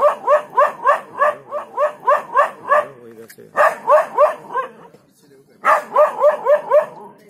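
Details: Dog, startled awake from a short nap, barking to drive off an inexperienced leopard in the Jhalana undergrowth: fast, harsh barks in rapid runs of about three per second, broken by two brief pauses.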